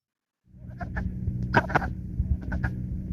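Wood frogs giving short, hoarse clucks, like chickens or ducks, over a low, steady hum.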